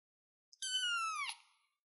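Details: Single drawn-out kitten meow from a cat perched on a chair, steady and high-pitched before dipping slightly at the end.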